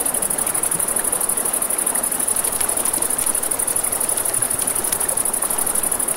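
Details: Nighttime riverside crickets keep up a continuous high, finely pulsed trill, with rushing river water beneath and several faint pops and snaps of a crackling campfire.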